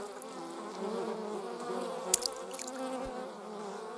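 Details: Buzzing bee in a recording of wasps and bees from 26 July 2019: a rich, even hum throughout, broken midway by a few sharp ticking clicks and a soft low thump.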